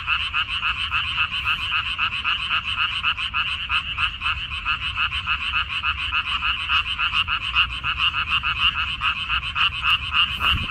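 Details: Frogs croaking en masse in a minari (water dropwort) field, Korea, May 14, 2021; quick throbbing pulses repeat steadily, the chorus slightly uneven in strength, ending with a brief low thump.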